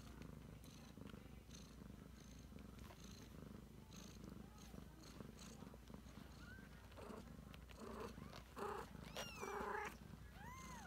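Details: Continuous low purr of a Ragdoll cat nursing her 3-week-old kittens, soft rustling throughout, and a cluster of thin high mews from the kittens in the final seconds.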